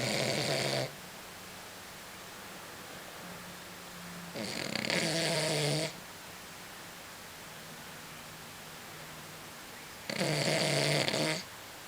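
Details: An elderly female Blenheim Cavalier King Charles Spaniel snores in loud, rasping breaths spaced several seconds apart.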